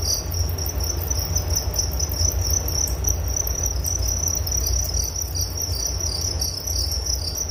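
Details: Continuous shrill cricket trilling, evenly sustained with faint rapid pulsation throughout, set against a low droning hum.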